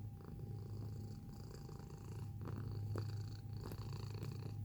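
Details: Cat purring up close, a low vibrating rumble that grows louder midway, with a few soft clicks and rustles from movement and a constant faint hum.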